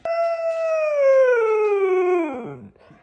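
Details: Male pet Siberian Husky howling indoors in protest at being told he must go on a diet; one long, smooth, harmonic howl that starts fairly high, holds, then slides steadily downward for about two and a half seconds before breaking off.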